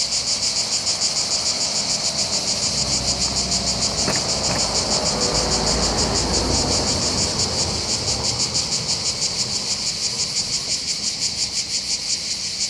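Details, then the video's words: Cicada chorus on the heights overlooking Bandol harbour in the Var, southern France, on the Mediterranean coast: a continuous high-pitched rasping buzz with quick regular pulses, over faint low rumble and a brief click. "accompagné par le champ des cigales"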